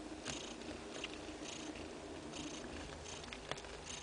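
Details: Two-day-old kittens suckling from their mother; a continuous rumbling purr with rhythmic airy pulses about twice per second and one small sharp click near the end.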